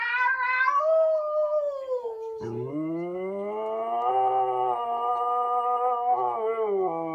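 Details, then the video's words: A female Siberian Husky named Khaleesi asks to go for a walk. She opens with a high sliding whine that falls away, then gives a sustained, gently wavering howl-like moan that holds steady to the end. "Khaleesi the talking husky"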